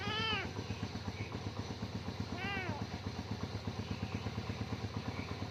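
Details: Kitten frightened by a bike's sound, giving two short arching meows near the start and middle, over a steady pulsing engine rumble with faint high squeaks.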